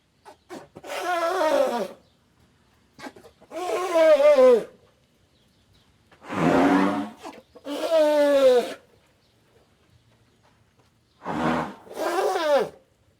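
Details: Elephant calling in a series of wavering, falling tonal calls, each about a second long, with rich harmonics and short silent gaps between them.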